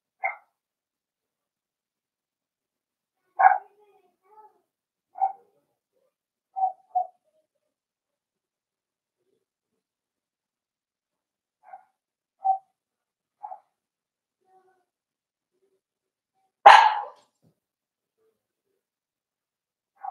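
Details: Four-week-old Cavalier King Charles Spaniel puppies in a home puppy pen, meeting older dogs and trying puppy mash: short, thin, high whimpering yips scattered across the stretch, with one louder sharp bark near the end.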